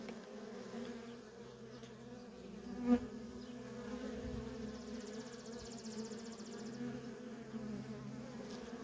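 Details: Continuous buzzing of worker honey bees streaming in and out of a feral colony; a soft, even drone with one brief louder tap near the middle.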